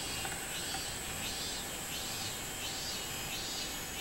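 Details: Robust cicada song from 24 July 2016. Rhythmic high buzzing pulses swell and fade about every two-thirds of a second over a steady background hiss.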